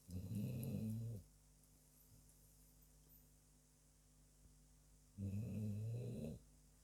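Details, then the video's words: Dog asleep and snoring: two long, deep, rattling snore breaths about four seconds apart, a steady faint hum between them. "dog my furbaby is Snoring away"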